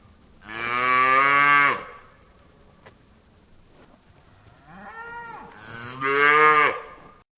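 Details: Mooing cow on a farm. A sustained, rich, low moo opens the recording. After a quiet gap, a brief arching bawl leads straight into another strong, drawn-out moo.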